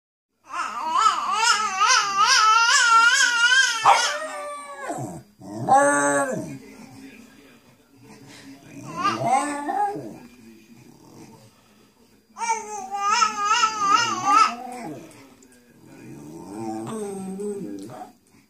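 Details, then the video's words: Bichon Frise singing along with another dog indoors: long wavering, warbling high whines with quick vibrato in sustained bursts, alternating with lower yowling notes and short pauses. "the bichon frise and lily having a sing along"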